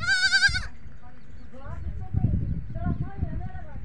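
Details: On a goat farm, a goat kid calls for its mother with a single high, quavering bleat lasting about half a second. People talk afterward, with faint bleats in the background.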